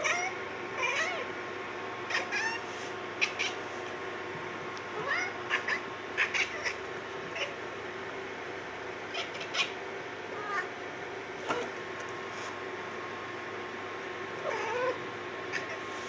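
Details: A cat chattering as it sees something: short scattered meows and chirps recur through the whole stretch, some rising, others clipped, over a faint steady hum indoors.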